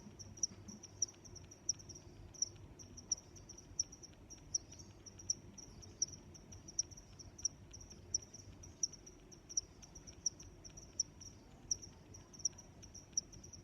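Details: A cricket sings a high, thin, even trill marked by sharp chirps around every 0.7 seconds, steady throughout, over faint low background noise.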